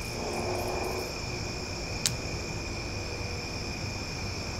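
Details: Cicadas singing loudly after dark in Omaha: a constant high buzzing drone in layered steady tones, with low background rumble and one brief sharp click near the middle.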